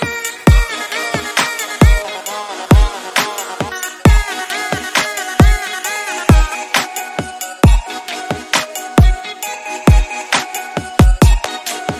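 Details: Electronic dance music with a heavy, regular bass beat and bright synth chords plays throughout, with no animal sounds heard.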